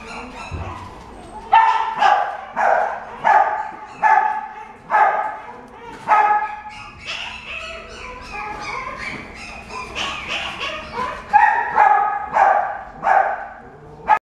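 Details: Chihuahua barking in a steady series of sharp, high yaps, about two per second, with brief pauses, some barks rising to a squeakier pitch, over faint background noise.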